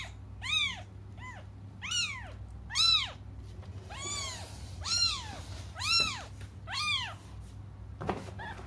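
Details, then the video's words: Cats crying while waiting for their mother to come back: a steady series of about eight high, arched meows, each rising then falling, spaced roughly a second apart, with a low hum beneath in a small indoor space. "until their mom comes just stop crying"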